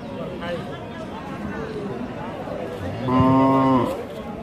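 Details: Dairy cow moos at Chowbaria cattle market, Manda upazila, Naogaon district, recorded 9 November 2018; one short, steady, low harmonic moo under a constant babble of men talking and bargaining in a busy outdoor crowd.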